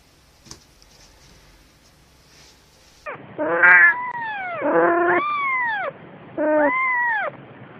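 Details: Domestic cat mother with kittens: after a quiet rustling start, three loud drawn-out harmonic meows, each arching up then falling, the middle one longest, spaced about a second apart.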